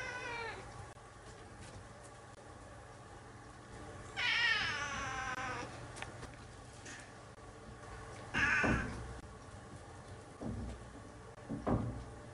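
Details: A talkative domestic cat gives a faint meow at the start, then a long, wavering meow with many overtones and a short, sharp one four seconds later. Soft thumps and a low, constant household hum are also heard.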